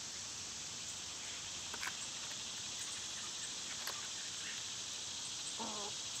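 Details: A summertime cicada drone, high and unvarying, dominates throughout; a couple of faint clicks and a short lower chirping call appear near the end.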